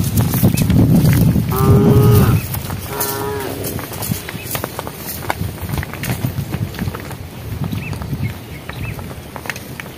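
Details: Herd cows calling to one another while walking on a project road near evening: two short, rich moos in quick succession, starting right after a loud low rumble, then quieter outdoor noise.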